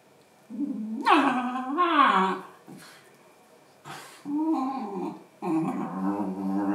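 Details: Two female Basenji dogs indoors: drawn-out wavering yodels and moaning whines that rise and fall in pitch, in three bouts with short pauses between.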